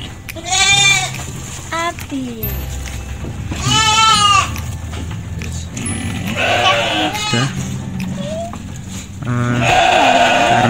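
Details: A fattened goat being put into a sack for its monthly weighing on a livestock farm gives wavering, harmonic bleats, two loud ones about three seconds apart, while a man talks throughout and handling noises are heard.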